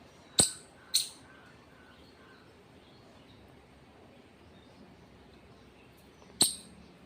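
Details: Squirrel chirping: a quick pair of sharp, clicky chirps, then a long pause before a third bright snap, over a hushed background with faint high whistles.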